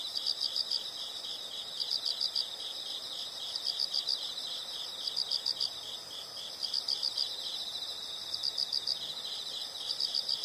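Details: Calling insects in a soothing nature soundscape, clusters of four or five sharp high pulses recurring roughly every one and a half seconds, set against a continuous high-pitched insect hum and faint low noise.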